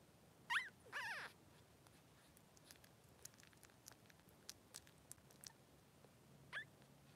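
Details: Two Blenheim Cavalier King Charles Spaniel boys, three days old, in a newborn pen with mother Pom-Pom, let out two sharp squeaks early on, then soft clicking and shuffling, then one more short squeal.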